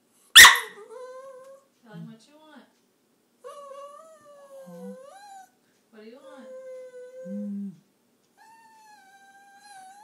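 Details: Pet dog indoors "talking" and whining to its owner: a series of drawn-out, wavering high whines and moaning vocal slides with short pauses, preceded by one sharp bark at the start.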